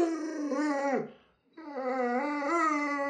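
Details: Alaskan Malamute Luoluo, a household pet, vocalizes in two long talkative howls separated by a brief silence; the first dips and drops at its end, the second stays level with slight wavers.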